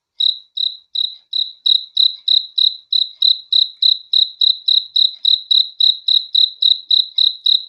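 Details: Night-time cricket chirping: a quick, even series of bright, high pulses, roughly three or four per second, continuing without a break over a silent background.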